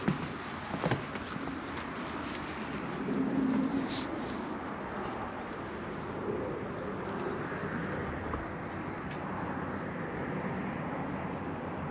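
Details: Steady urban traffic hum from passing vehicles, with brief clatters and faint distant voices, and no animal calls.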